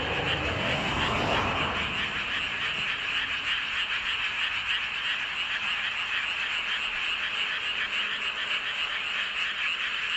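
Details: Frog chorus under a full moon in Seowon-myeon, Hoengseong County, Gangwon Province, South Korea: a dense, continuous wall of rapid overlapping croaks and trills, about 200 pulses a minute, with a brief low rumble near the start.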